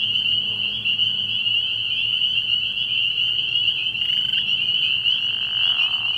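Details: Spring peepers calling at night from a frog pond early in the year, a dense chorus of high, piercing peeps merging into one steady shrill band, with a faint low drone underneath.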